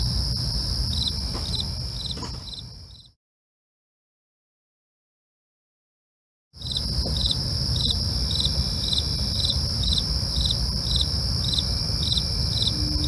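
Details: Crickets at night, with rhythmic short chirps over a steady high trill and low rumble, cut by about three and a half seconds of complete silence before the chirping resumes.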